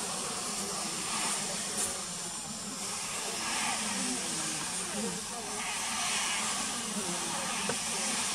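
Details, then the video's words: Alarm sound of Asian honey bees (Apis cerana), warning of danger before they sting: a dense, continuous hiss with slow rises in loudness and a soft low rumble beneath, with no pauses. "Signal alarm of honey bee | Danger alarm sound of honey bee | Apis cerana"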